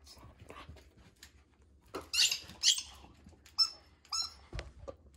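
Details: Storm the female Border Collie tussling for her ball, giving sharp, high squeaky whines in two quick pairs, with softer snorts and small clicks in between.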